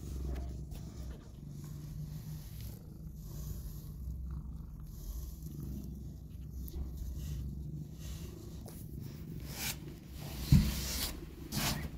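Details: Hope, a disabled street mother cat, feeding her two rescued newborn kittens; a steady low purring rumble runs throughout, with a brief knock near the end.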